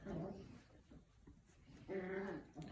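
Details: Puppies playing indoors with a toy, swinging it around. Two short, low, steady whimpering tones, one at the very start and another just before the two-second mark, separated by quiet room noise and faint scuffling.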